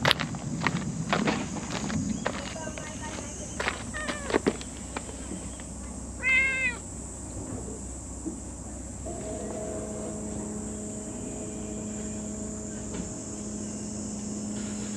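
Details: Domestic cat meowing once in a clear, arched cry midway through, after a stretch of knocks and rustling; a steady mechanical hum drones through the latter half.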